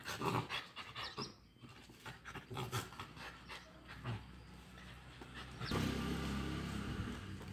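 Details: During a fight between a Pomeranian and a Lhasa apso, rapid breathy growls and snorting scuffles repeat quickly, then give way to a steady background rumble near the end.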